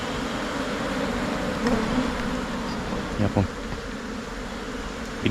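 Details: Asian honey bees, the Thai cavity bee, swarming as the colony splits and moves into a new hive box: a dense, steady droning hum in low bands, with a few faint clicks and knocks.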